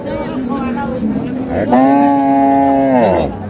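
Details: Dairy cow at a busy cattle market in Dinajpur, Bangladesh, on a Monday in January, sold with her calf: after a brief lower lowing, one long, steady, tonal moo holds level for over a second, with men bargaining around it.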